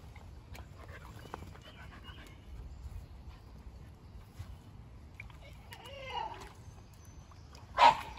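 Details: Kumo, a fluffy Keeshond, trying out a backyard pool for the first time, sharing it with Sully, a Boston Terrier. A wavering whine rises and falls around the six-second mark, then one sharp bark near the end, over light splashing and faint birdsong.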